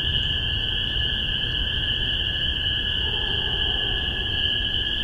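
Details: Spring peepers calling in Massachusetts in spring 2015, captured with a spaced omni microphone pair: a dense chorus of high, piercing peeps merging into one continuous ringing shimmer, a steadier lower tone beneath, and soft low rumble throughout.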